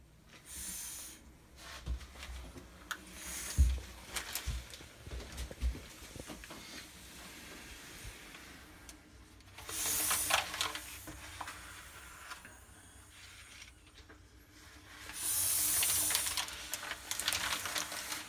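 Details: A female blood python handled by people gives long breathy hisses: a short burst near the start, another around ten seconds and a sustained one near the end, with rubbing and handling noises between.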